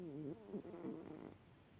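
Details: Sleeping cat snoring: a low, buzzy, harmonic rasp lasting just over a second, wavering in pitch before it fades into quiet.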